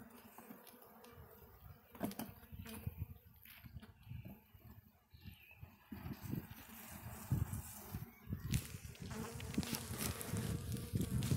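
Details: Hum of Russian honey bees from a hive on a black stand during its first opening, a dense low drone swelling louder toward the end, with scraping and tapping of hive tools throughout.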